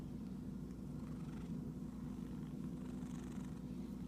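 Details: Purring from an itchy cat: a deep, unbroken rumble holding steady, with light rustling faintly audible above it.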